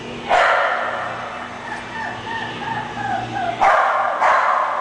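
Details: English Bulldog with one sharp bark, then softer wavering whine-like sounds, followed by two more quick barks close together near the end.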